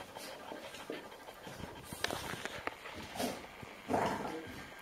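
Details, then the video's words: Golden Retrievers indoors in a puppy playpen, Haute-Savoie, France, October 2013: a five-year-old female evades her 8-week-old grandpuppies chasing her for milk. Breathy panting bursts, scuffling, and a short tonal whimper near the end. "Golden Retriever Grandma trying to escape her Grandpuppies"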